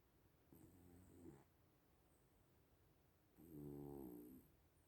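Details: Sleeping little cats snoring: two nasal, faintly tonal wheezes a few seconds apart, the second longer and fuller, over a quiet room hiss with a thin high electronic whine.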